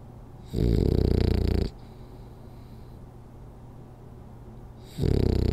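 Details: Rolly, a sleeping French Bulldog, snoring during a power nap: loud, low rattling snores about one to one and a half seconds long, separated by quiet pauses of several seconds, with a faint steady hum in the room.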